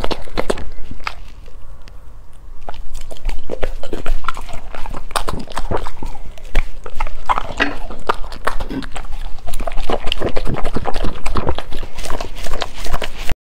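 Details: A golden retriever dog chewing food: dense, irregular crunching and clicking with wet mouth sounds, building in intensity after the first few seconds and continuing without pause.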